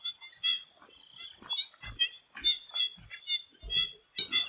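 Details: Swamp frogs calling before sunset: many short, bright chirping and clicking notes overlapping in a busy chorus, with a faint steady high insect-like hiss behind and a few soft low thumps.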